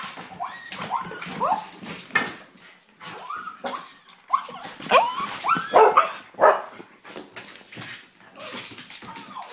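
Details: Excited terriers whimpering in a burst of short, high whines and yips that rise and fall in pitch, several in quick irregular succession, with a person repeating a word between them indoors.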